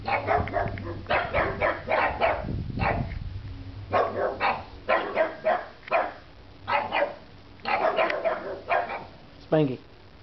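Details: Pugs barking at nothing, a long series of harsh barks in irregular clusters roughly every second, with a human voice briefly audible in the middle and a low steady hum underneath.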